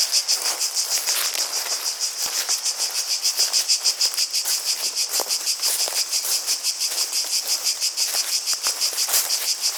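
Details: A continuous shrill drone of cicadas with a regular pulsing rhythm, roughly three beats each second, and occasional low taps and rustling in the background.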